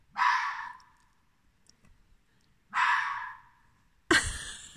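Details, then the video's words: Fox barking at night in October 2020, apparently wanting to play with a cat; two harsh, noisy barks about two and a half seconds apart, followed by a sudden louder rasping burst at the end. "fox barking at night wants to play with cat"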